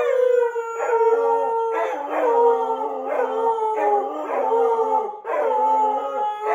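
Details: Siberian huskies Sirius and Hendrix join in with wolf howls playing on a television, giving steady, sustained overlapping howls with rich harmonics, pitch holding level then dipping, renewed in fresh surges roughly every second or so.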